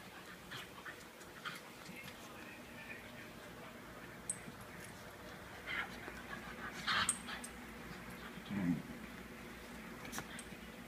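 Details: Two dogs, Looey and Butterball, wrestling together indoors in a long-running play habit; brief scattered yelps and squeaks cluster near seven seconds, followed by a low growly burst near nine, all over a steady background hum.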